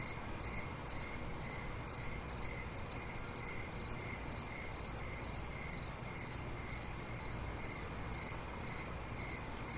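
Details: Crickets at night: regular chirps about twice a second, high and pulsed, joined for a few seconds by a thin, faster higher trill.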